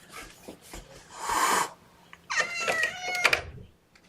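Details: Kittens from a litter of four meowing in protest at being pottied before weighing, their mother cat nearby; harmonic, rising-falling cries around the middle of the recording, preceded by a noisy rustle and faint speech indoors.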